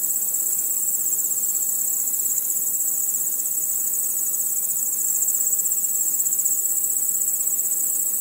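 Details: Crickets chirping at night under a starry sky, a dense, steady high-pitched pulsing trill that runs without pause through the whole stretch, with a faint low rustle underneath.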